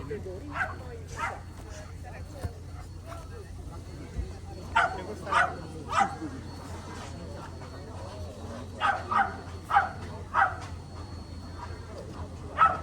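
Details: Romanian Carpathian Shepherd dog barking in loose bursts, about a dozen sharp, mid-pitched barks, some doubled, with gaps of a second or more between groups, while people talk quietly in the background.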